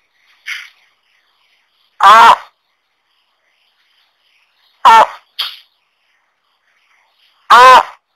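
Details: Tuatara croaking: three short, harsh, harmonic croaks spaced about two and a half to three seconds apart, each followed closely by a fainter, higher click-like note.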